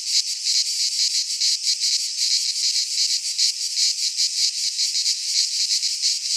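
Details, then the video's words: Many cicadas in a Greek pine forest in midsummer keep up a piercing, buzzy trill, swelling and fading in quick beats roughly two to three times a second. "Cicadas singing in midsummer - Nature sounds from the Greek fauna - Sounds of cicadas"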